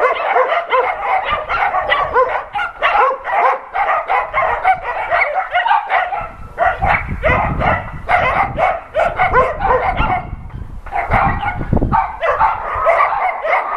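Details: Adoption-center dogs barking loudly at an NRK TV crew, multiple voices in rapid overlapping barks and yips, nearly continuous with brief gaps around six and eleven seconds and some low thumping beneath.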